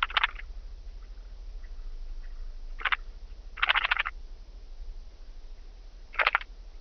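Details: Song of a blue band-winged grasshopper at Mörnsheim, Germany, 14 July 2023: four short rasping chirps at uneven intervals, crackly clustered ticks, the third longest and loudest, with a low steady hum beneath.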